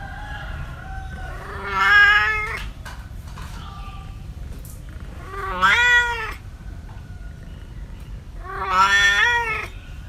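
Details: Cat meows from a compilation of cats and kittens: three strained, wavering meows spaced about three to four seconds apart, each swelling then fading, with a faint low background hum between calls.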